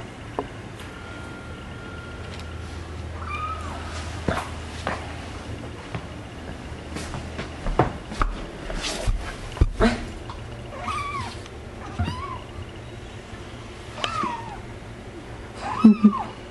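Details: Five young kittens born to a mother cat, indoors, giving a series of thin, high, arching mews every second or two, mixed with handling clicks and a person's quiet voice.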